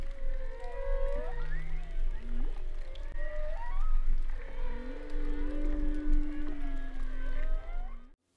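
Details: Multiple humpback whales singing together in winter: a tangle of sliding tonal moans, short upswept whoops and a sustained flat tone near the end, several voices overlapping so no single sequence stands out.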